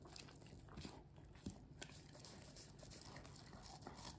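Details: Golden Retriever gnawing on corn, its first ever, and enjoying it. Crisp, irregular crunches and bites sound through an indoor room, with a couple of louder snaps near the middle.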